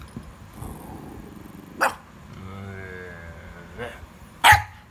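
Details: Puppy giving sharp single barks spread over a few seconds, with the last one loudest, while a person calls out "go" in between.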